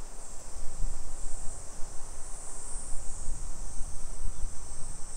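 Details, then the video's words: Cicada chorus on a hot July afternoon in suburban Nisshin, about 20 km from downtown Nagoya, Japan: a continuous thin high hiss sits above heavier low rumble and walking noise. "Summer Cicadas Sounds"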